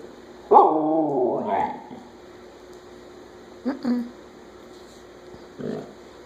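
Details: Siberian Husky Chula 'saying hola' at home: one long, wavering harmonic moan lasting about a second, followed by two brief gruff yips and a short muffled grumble after a pause.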